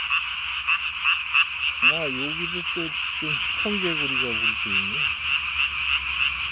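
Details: Japanese tree frog at night, 3 May 2020, inflating its throat vocal sac as large as its body; rapid rasping pulses run throughout, joined midway by lower, wavering, voice-like tonal sounds.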